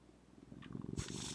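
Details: Zephy, a female pet cat, purring indoors: a low, rapid rumbling pulse that strengthens over about a second before a brief burst of broadband rustling noise cuts across it.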